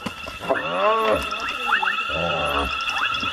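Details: Hyenas locked in a fight to the death, one hyena killing another: a drawn-out arched, harmonic wail followed by short rising yelps, over a steady high tonal hum that runs throughout.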